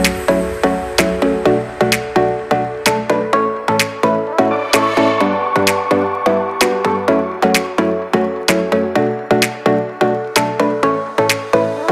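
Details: Electronic dance music with a steady, punchy beat and layered synth chords, with no animal sounds.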